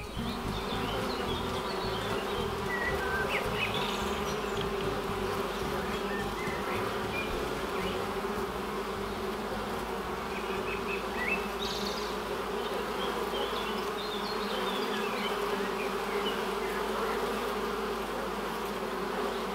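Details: Honey bees buzzing at a hive entrance, a steady dense hum with bands near 200 and 400, a continuous drone without pauses, faint small chirps of birds in the background.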